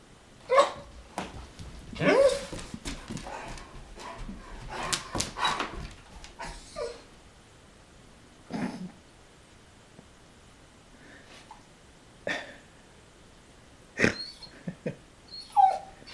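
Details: German Shepherd barking at a big truck out on the street, heard from indoors: sharp barks in irregular bursts, about every two seconds at first, mixed with yips and whimpers, then scattered single barks after quiet pauses.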